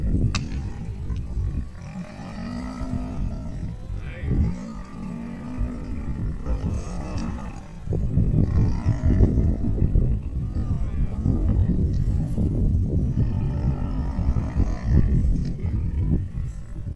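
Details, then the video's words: Wild lions of a pride closing in on a crocodile. Continuous deep, rough rumbling growls surge and fade over many seconds, overlaid by human voices and chatter throughout. "Lion Pride Corner Crocodile"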